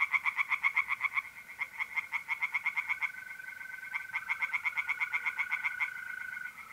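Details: Tree frogs singing by night in a north-east Italian pond in mid-April, their fast, rhythmic croaks pulsing almost nonstop over a thin, constant trill of mole crickets.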